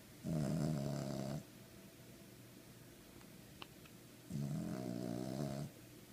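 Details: King Charles Spaniel asleep and snoring: two drawn-out, throaty snores about four seconds apart, each over a second long with a vibrating low rumble, plus a faint tick in the quiet gap.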